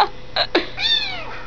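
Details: Munchkin baby kitten talking indoors: a few short clicks and bursts, then a drawn-out harmonic meow that rises slightly and falls away, with a calm voice speaking before it.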